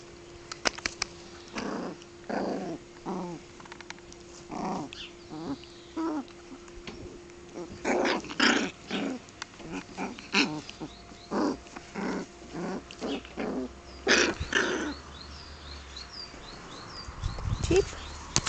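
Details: Five-week-old Shetland Sheepdog puppies from litter "H" of the Czech kennel Perla z Polabi, recorded 30 May 2009: short growly yaps and grumbles in bursts about every half second to second, with faint bird chirps toward the end.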